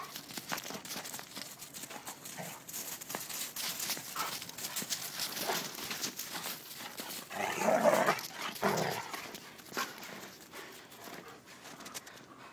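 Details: Red rust Dobermans playing outdoors in snow: a rough, harmonic bark-like burst lasting about a second stands out midway, over steady crunching of paws in snow and scuffling movement.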